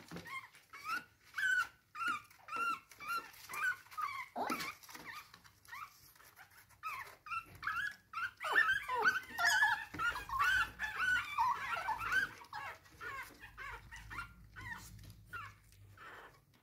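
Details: Chihuahua puppy trying to get back into bed, giving a long series of short, high, whining whimpers, several per second, in uneven bursts; a person briefly speaks softly in a small indoor room.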